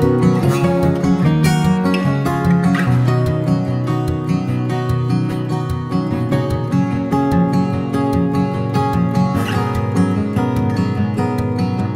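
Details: Strummed acoustic guitar music plays steadily throughout, with no animal voices.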